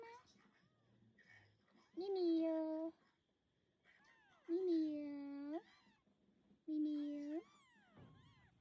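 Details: Mother cat on a farm, trying to carry her very young kittens away one by one after they were placed together; three loud, drawn-out meows, each about a second long and gently arching in pitch, spaced evenly, with quiet human talk in between.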